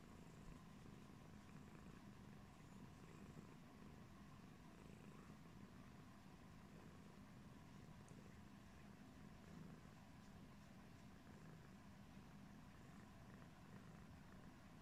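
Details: Pumpkin, a yellow British Shorthair cat, washing its face; a steady, low rumbling purr runs throughout, with faint soft rustles above it.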